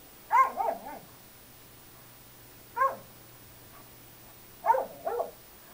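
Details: A five-month-old Bernese Mountain Dog puppy plays with an elderly mixed-breed companion, bumping and swinging her body. Yelping barks with falling, whiny tails come in pairs and singles, spread across a few seconds in a quiet room.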